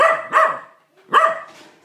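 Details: Indoor pet corgi angry at a vacuum cleaner, giving two loud, harsh barks about a second apart, each a quick double pulse, with a faint trailing sound after the second.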